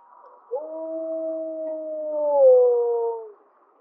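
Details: Single steady howl from gray wolf 1048M of Mollie's pack, recorded April 2025, its second harmonic louder than the fundamental. The note starts abruptly, holds level for two seconds, then steps slightly lower and swells before ending cleanly.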